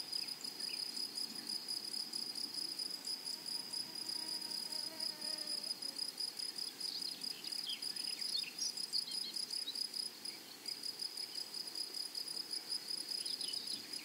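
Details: Grasshoppers in a flowery meadow sustain a thin, high, rapidly pulsing buzz. It dips briefly near ten seconds. Faint bird notes and a soft ladder of tones appear midway.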